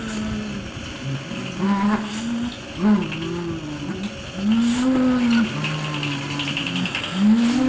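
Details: African elephant rumbles recorded below the range of human hearing, then sped up tenfold so they are audible as smooth moaning tones, a higher and lower voice alternating; a heating fan hums at the start; infrasonic communication.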